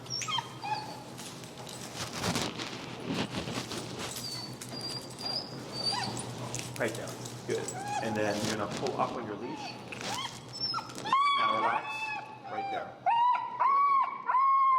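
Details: Feral husky Finnegan vocalizes loudly in disagreement while learning to heel under pressure in Chicago dog training. A man talks at first, then the dog breaks into a run of high, wavering whines and yelps, roughly one per second.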